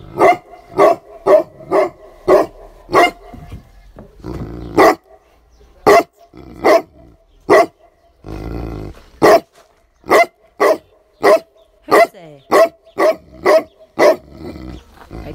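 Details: Tibetan Mastiff barking at nothing: a long run of loud, deep, evenly spaced barks about twice a second, pausing briefly around the middle before resuming in quicker bursts.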